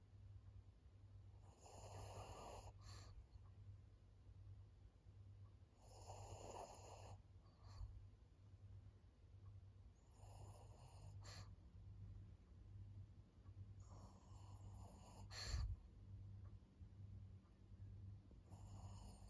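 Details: Maria, an elderly female fawn pug aged fourteen in Japan, snoring steadily: breathy, wheezy rasps repeating about every four seconds, with a low hum running underneath.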